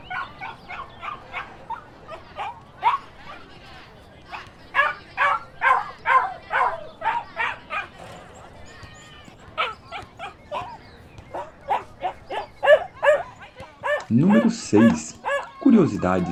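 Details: Dog and puppies barking in quick, uneven bursts of short yaps, with higher yips mixed in and a few louder, deeper barks near the end.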